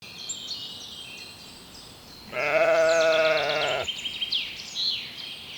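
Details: Sheep grazing leisurely on a spring meadow: one long, steady, harmonic bleat of about a second and a half rises over a backdrop of continuous high twittering birdsong.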